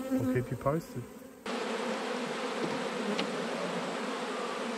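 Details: Honey bees at a managed hive during an autumn inspection of a beekeeper's colonies. A brief voice at the start gives way to a dense, steady low hum of many bees with a rough, noisy texture.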